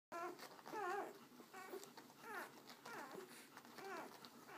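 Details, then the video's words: American Akita puppies, indoors with their mother Abby caring for the litter; high whining whimpers rising and falling in arched sweeps, several overlapping in short bursts over a faint background hum. "American Akita puppies"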